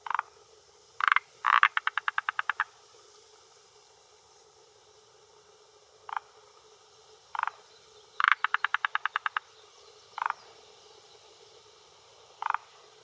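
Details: Rhacophorus arboreus male croaking from a hillside pond's shore, Japan, early June evening around 18:10, for territory and females: short rasping notes spaced out, two bursts of quick rattling pulses, quiet pond background.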